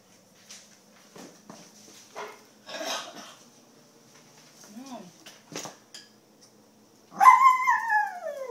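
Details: A small pet Poodle being playfully teased indoors gives a single loud, rising-then-falling harmonic yelp near the end, after mostly quiet stretches with soft scattered noises and a person speaking.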